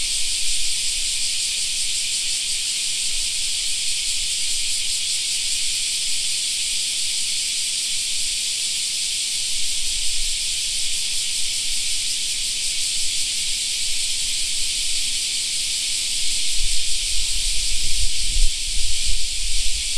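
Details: Steady summer chorus of cicadas in a park, an even high-pitched hissing buzz lasting the whole time. A low rumble swells over the final few seconds.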